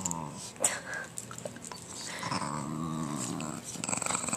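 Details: Patterdale Terrier gives a low, steady rumbling growl that swells and grows louder toward the end, while a person talks over it nearby.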